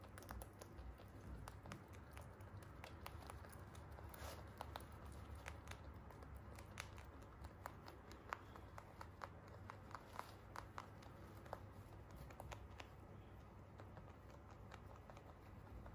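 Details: Free-roam pet Holland Lop rabbits eating crunchy hay: a steady stream of sharp, dry crunches and crackles, several per second and uneven in rhythm, over a low, constant room hum.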